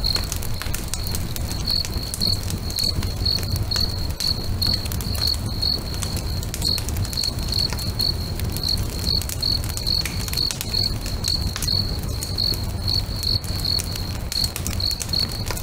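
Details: Crickets singing beside a lake at sunset, steady high-pitched chirps repeating about twice a second for the whole stretch, over the loud snapping and popping of a crackling bonfire and a low rumbling roar.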